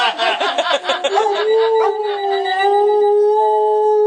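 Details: Cody, a pet dog, howls in response to a ringing phone, which sets him off every time; after a burst of ringing and voices, a long sustained wavering howl holds steady, with a higher overtone line above it, indoors.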